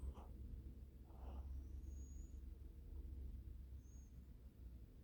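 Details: A sleeping cat snoring: two soft, breathy, airy puffs close together near the start, then only a steady deep low rumble for the rest, with faint high thin tones in the background.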